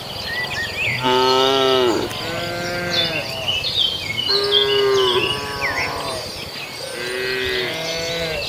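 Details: Herd of tame cattle moving across a field to the barn and eating grass: four loud, long, wavering moos in quick succession, rich in harmonics, with high bird calls chirping throughout.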